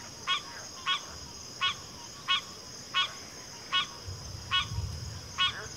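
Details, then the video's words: A single frog repeats a short, honking, harmonic croak roughly every 0.7 seconds over a steady high insect drone, with low rumbling noise near the end. "FROGS - Pig Frogs, Water Frogs, Backwater Chorus, & Frog Chorus"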